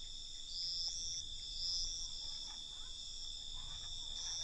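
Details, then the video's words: Crickets chirping at night: a constant high trilling drone with louder pulsed bursts rising above it around one, two and four seconds, over a faint low background rumble. "Night Cricket Sound"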